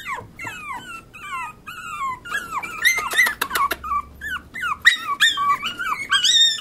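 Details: Pomeranian puppies whimper steadily: shrill, bending cries that drop and rise, several voices overlapping, with a brief clatter of clicks in the middle and louder squeals toward the end.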